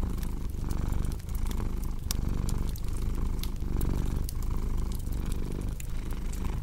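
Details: Domestic cat purring, paired with a cozy crackling fireplace for deep sleep and relaxation; a steady low rumble swells and dips with each breath about every second, while sharp fire crackles and pops scatter over it.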